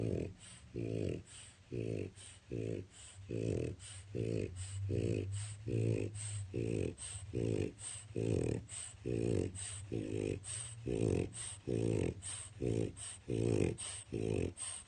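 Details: A male French Bulldog napping in his crate one afternoon snores very loudly in steady, rumbling, low pulses a little under once a second, before being woken.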